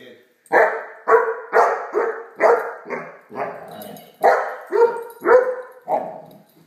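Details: Great Dane puppy Blacky at play with a toy dog, barking in a steady run of about ten sharp barks roughly every half second, with faint human speech in the background.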